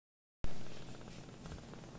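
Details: Brief low rumbling purr from Sokkun, a rescued baby kitten with sock-like markings on all four paws, snuggling on its carer's lap after sulking; steady deep hum begins after a moment of silence.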